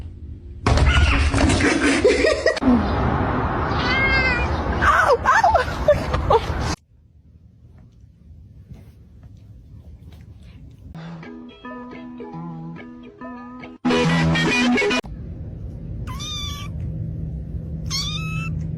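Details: Domestic cat in a funny-cats compilation giving several short arched meows, each rising then falling, two clear ones near the end, between loud broadband bursts of noise and speech, with a low steady hum underneath.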